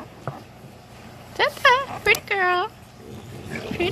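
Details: English Bulldog puppies, 20 days old, from a litter of Fiona and Valentino, give a quick run of high, wavering squeals and yelps that rise and fall, the last one drawn out, with faint background noise before and after.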